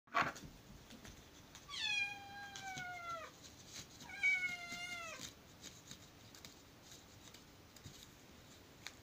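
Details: A blue male British Shorthair kitten gives two drawn-out, falling meows a couple of seconds apart.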